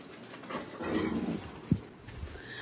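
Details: Alaskan Malamute, a talkative dog, growling while a person hugs him. A low, rough rumble lasts under a second, followed by a sharp knock and quiet indoor background.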